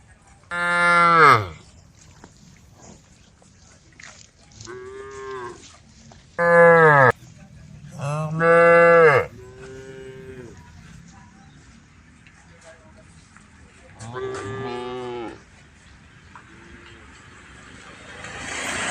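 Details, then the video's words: From a group of tame female cows calling to a herd of angry cows, a run of about seven moos comes at uneven gaps, some loud and short, others fainter and farther off, with a faint hiss at the end. "the sound of cows calling out to a herd of angry cows"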